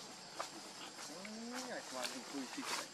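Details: Baby monkey Lucie crying pitifully because it is hungry for milk, in a string of tonal, wavering wails that bend up and down, with other high chirps from the surroundings.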